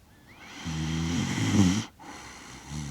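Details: Sleeping Shiba Inu Kaki-Maru, aged six years and one month, recorded in Rotterdam on 30 September 2025 with a DJI Mic Mini; a drawn-out low snore, rougher toward its end, then a brief pause and the next breath starting.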